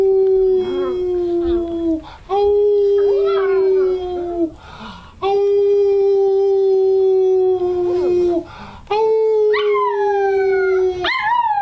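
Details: American Cocker Spaniel puppy Pippin, male, 10 weeks and 6 days old, howling on cue for the first time: long steady drawn-out notes lasting about two seconds each, broken by short gaps and overlaid with rising, wavering yelps.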